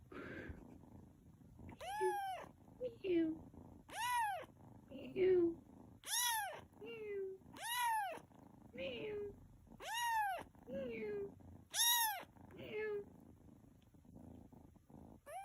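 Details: Tuxedo cat meowing indoors: a long run of loud, arching meows roughly every second or two, alternating with shorter, lower chirp-like mews, with faint low purring beneath.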